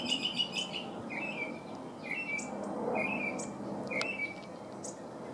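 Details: California ground squirrel young outside their burrow for the first time give a string of short, high chirps that slide downward, about four spaced calls, with faint rustling behind.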